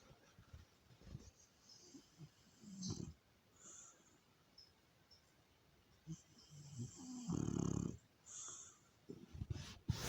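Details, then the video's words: A French Bulldog snores at home: quiet, irregular, rough breathing rumbles with a few louder snorting bursts, the strongest near the end, over faint background hiss. "Mon bouledogue français qui ronfle"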